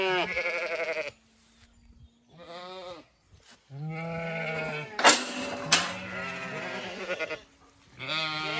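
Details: The last Zwartbles ewes, stragglers, leaving the long acre before sunrise on a Sunday in County Kilkenny, Ireland; loud wavering bleats broken by silent gaps, with two sharp noises midway.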